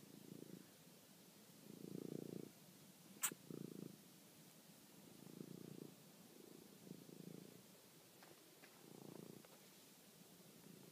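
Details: Pet cat Toby purring at night while chasing and finishing off a mouse, recorded by phone; six rumbling purr bursts separated by quiet gaps, plus one sharp click and faint ticking sounds.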